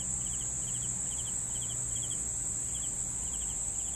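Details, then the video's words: Night-style cricket chirping for sleeping, short triple-pulsed chirps spaced roughly every half second, set against an unbroken shrill high-pitched hum and soft low hum below. "CRICKETS SOUNDS"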